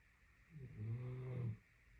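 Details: Napping Great Dane giving one deep, rumbling snore of roughly one second, smooth and sustained with a slight swell in the middle, then quiet; a faint steady hum continues underneath.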